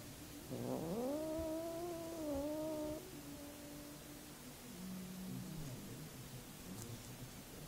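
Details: Domestic cat giving a single drawn-out meow of about two and a half seconds. It rises quickly, then holds level with rich harmonics before cutting off. A faint low murmur and quiet background hiss follow.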